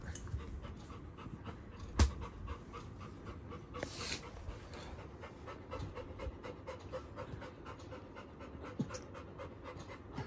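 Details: Little John, a Labrador Retriever, pants rapidly and steadily while greeting his elder brother on their reunion, with quick breathy strokes repeating throughout and one sharp knock near the start.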